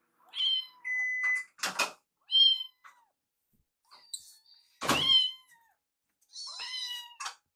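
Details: Foster kittens Piyo and Yuki, rescued baby cats, at feeding time, Yuki sneaking Piyo's leftover food. A quick run of shrill kitten meows, some short and some bent in pitch, broken by sharp knocking thumps.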